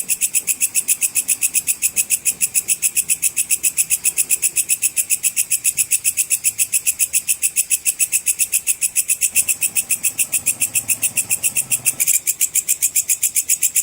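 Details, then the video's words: Belalang pedang, the sword grasshopper, calling for songbird training; a long, even run of rapid shrill pulses near three and a half per second, high and buzzy, with a brief louder burst near the end. "suara belalang pedang cicir full untuk masteran semua burung lomba"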